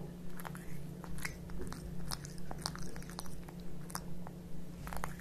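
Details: Kitkat and Leo, two house cats, chew tuna wet food in a small room. Quick, regular bites come about twice a second with crisp clicking crunches, and a constant low electrical hum sits underneath.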